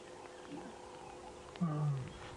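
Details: On a cool, cloudy, wet morning by a dam, a lioness of a pride with cubs at a buffalo carcass gives low, short, throaty grunting contact calls, possibly communicating with the cubs, over a quiet background.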